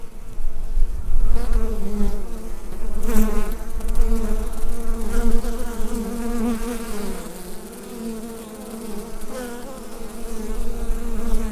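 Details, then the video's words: Inside a beehive, recorded on a Rode NT-USB microphone: a deep, wavering collective buzz, louder in the first half, with a short crackle early on, then easing to a softer drone. "Bee Hive Sound Effect"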